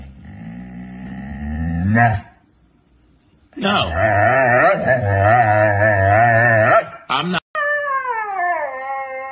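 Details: Husky talking in a deep, grumbling voice: a rising moan, a pause, then a long wavering growl-howl that ends in a higher falling whine.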